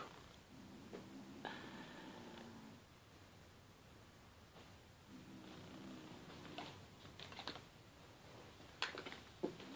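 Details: Male kitten guarding his pink toy in 2014 and growling while being teased with it; two drawn-out, throaty growls with a harmonic edge, the first about two seconds long and the second shorter, amid faint indoor clicks.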